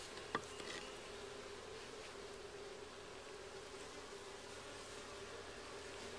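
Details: Honey bees at their hive during a first hive check, with comb found: a steady, low, droning hum holds one even pitch throughout, and a single sharp tap sounds near the start.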